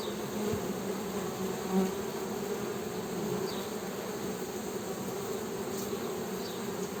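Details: Honey bees hum in a continuous low drone with a brighter overtone, swelling slightly near the two-second mark, while a few faint high chirps sound later.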